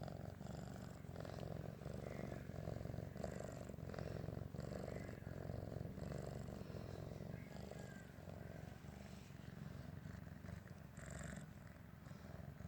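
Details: Pinggu, a stray cat brought home from a vegetable garden and now 100 days adopted, fond of water and playing in the bathroom: steady low rumbling purr with fine rapid pulsing throughout, faint brighter hiss above.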